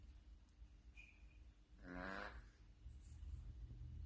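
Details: A sleeping cat gives a single raspy, buzzy snore of about half a second midway through, with a faint low hum and otherwise quiet surroundings.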